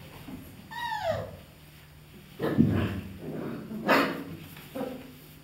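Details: German Shepherd Dog puppies of an A litter, 31 days old, give a high whimper that slides downward, followed by low thumps and scuffling bumps, with two more short bursts of noise later.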